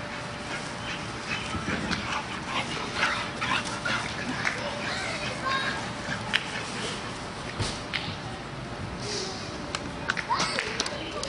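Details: Pet dog playing in a yard, giving short yips and whimpery sounds amid scattered sharp knocks and clatter, with human voices and steady background hiss throughout.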